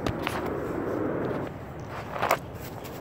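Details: Footsteps and shuffling on a rural trail at night, with a few sharp crunches and soft rustling; no animal calls.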